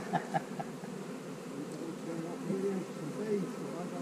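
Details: Honey bees humming during hive splitting on a split day in March 2020, with queen cells in the splits; a steady low droning buzz holds throughout, with a few soft knocks near the start.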